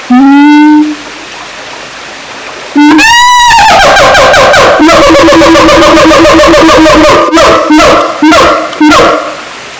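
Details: Siamang, also called kera gondok, at Taman Kyai Langgeng in Magelang, Indonesia. A loud, steady, horn-like note comes first. A sweeping rise follows, then a fast, dense series of barking pulses that slows into separate loud hoots.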